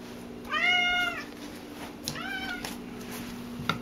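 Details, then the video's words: Talkative domestic cat indoors makes two clear meows about a second and a half apart. The first is longer and louder, the second softer with a slightly rising-falling arc. There is a faint tap at the end. "Loud Cat"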